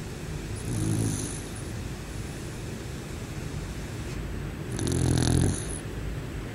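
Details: Bear asleep and snoring, two deep grating snores roughly four seconds apart, the second louder and longer, with a soft whistling edge and constant low rumble beneath.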